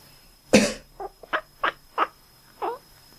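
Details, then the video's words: Domestic cat answering a person's cough with quacking sounds: one loud human cough, then five short, nasal, duck-like calls spaced roughly every third to half second, the last one slightly drawn out, indoors. "When I cough, my cat quacks Когда я кашляю, мой кот квакает"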